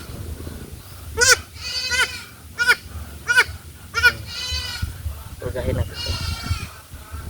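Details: Farm goats bleat during deworming with an oral suspension: short, quavering, harmonic bleats repeated about every half to one second, with a person talking and low background rumble.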